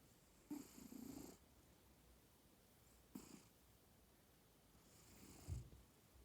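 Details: Sleeping house cat snoring quietly: three breathy snore bursts, the first about a second long with a low rumble, then a short huff and a faint final breath, with quiet pauses between.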